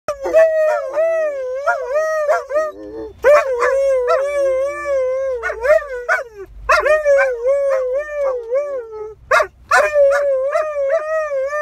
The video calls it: Husky teaches German shepherd to howl at sirens